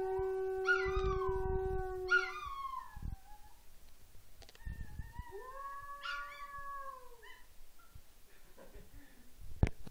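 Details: Pet Chihuahua-Mini Pinscher mix, a female, howls along with a conch trumpet; two sliding cries over the horn's low tone, then the horn stops and she carries on alone with long, quieter wails that rise and fall.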